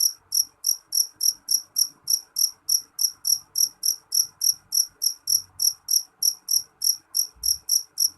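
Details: A loud jeliteng cricket repeats ringing, high chirps in an even rhythm of about three per second, around two dozen in a row, with a brief low thump near the end.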